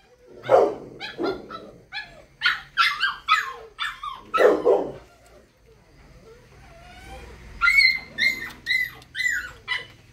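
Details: Dobermann puppy barking in rapid high yaps, several clustered in a row, then a pause and a second run of shrill, whiny barks.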